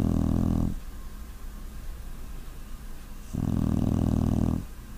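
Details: A pet puppy asleep and snoring, one harsh low snore trailing off at the start, then a quiet gap before a second drawn-out rumbling breath lasting over a second.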